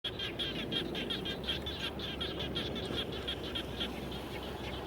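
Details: Frogs calling around a home after rain: a dense chorus of short, bright, pulsing notes repeated about three times a second, overlapping from several callers, over a steady low rumble.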